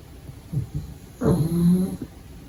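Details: Little pug puppy asleep, giving a soft snuffle then a loud, rasping, low snore lasting about three quarters of a second.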